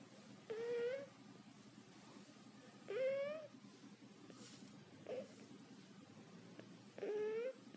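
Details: Pet cat snoring indoors, likened to a baby: each breath brings a squeaky, slightly rising nasal whine with bright overtones, lasting about half a second and recurring roughly every two to two and a half seconds, with quiet room hum between.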